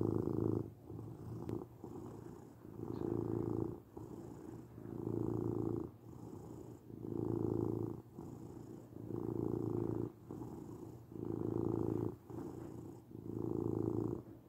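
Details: A house cat's deep, vibrating purr, rhythmic swells of rumbling repeated about every second through the stretch, softer passages between louder ones, calm and quiet surroundings.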